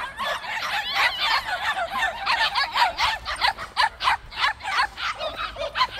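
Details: Several white puppies at a plum orchard yapping in a dense, overlapping chorus of high, sharp barks, about one per second with many voices layered, steady throughout with faint rural background.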